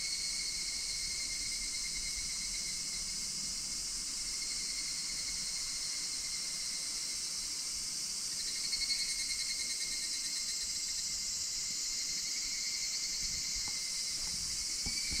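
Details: Higurashi cicadas singing in Japan, August 2026, Minoo Park, Kawachinagano or Koyasan: continuous shrill ringing chorus with layered high tones, one voice shifting pitch midway, plus a few faint clicks near the end.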